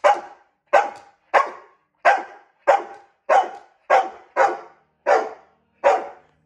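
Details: Domestic dog, female, barking in protest at being brushed; ten sharp, bright barks, roughly one every half second, steady rhythm with no other sounds.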